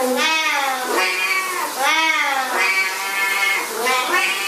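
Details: Siamese cats yowling at shower time: insistent, arching meows that swell and fade in quick succession, backed by a constant hiss.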